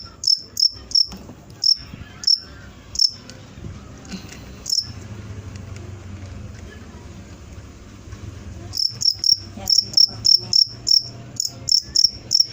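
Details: High, shrill cricket chirps repeated in short bursts for about five seconds, a quieter stretch of low rumbling noise, then a renewed fast series of evenly spaced chirps.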